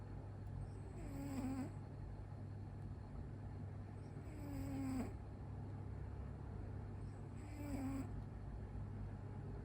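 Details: Sleeping pet cat snoring heavily with its eyes rolled back: three drawn-out rasping snores about three and a half seconds apart, each ending in a faint nasal squeak, over a steady low hum.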